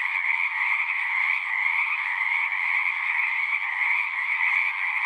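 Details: Pond frogs in a horse pasture singing as a massed chorus, Zoom 6 recording; continuous shrill trilling layered in two pitch bands, no gaps, no other sounds.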